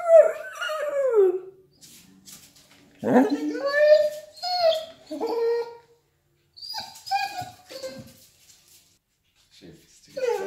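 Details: Male Vizsla indoors, singing and whining, a squeaky vocalising said to express joy when his pack is together, like pack howling: drawn-out, sliding whimpers and yips in bursts separated by short pauses, with some human voices.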